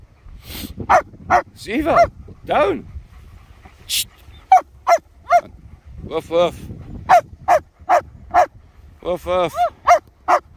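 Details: German Shepherds Nico and Zeeva out in Scottish Borders sunshine near Hawick, filmed on a Samsung S23 Ultra; a lively string of short, sharp barks and high yips, some whiny and wavering, bursting out every half second or so with brief quiet gaps.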